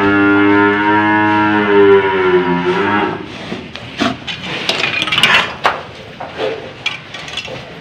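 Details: Old cow having a rope fitted lows for about three seconds, a steady harmonic moo that fades out, followed by clattering, thumps and faint music.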